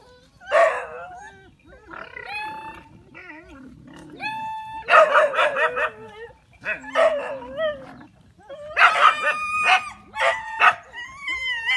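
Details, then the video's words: Several village dogs ganging up as if to attack, letting out loud harsh barks in bursts about every two seconds, with high tonal yelps and short whines between the volleys. "Awesome dog in the village want to attack together."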